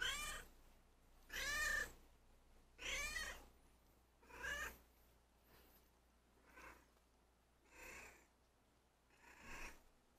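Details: Ppoyang, a former street cat kept indoors, calls while guiding its owner toward its food bowl when hungry; seven drawn-out harmonic meows roughly every one and a half seconds, the later ones softer and breathier, in a quiet room.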